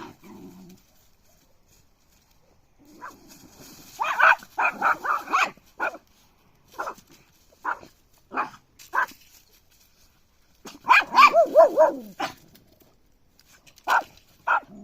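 A puppy gives high, yappy barks, some in quick bursts and others single, with short pauses between.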